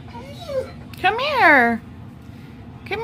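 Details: Alaskan Malamute female in labour, about to give birth to ten puppies, restless and trying to go outside; a rising then falling whining cry with a softer earlier whine and a short rising yelp at the end, over low background hum.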